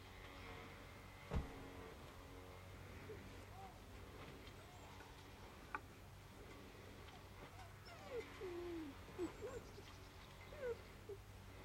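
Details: Saarloos wolfdog puppies of the D litter, 51 and 52 days old, playing indoors with rattle bottles, rattle cans, balloons, a tunnel and a can curtain in August 2012; short rising and falling whimpers come in a quick cluster near the end over steady low hum and a sharp knock.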